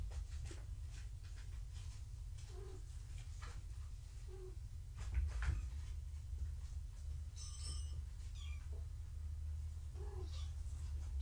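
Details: Gaia's foster kittens being weighed indoors on a live foster cam; short, soft mews come every few seconds over a low room rumble, with one sharp high squeak midway.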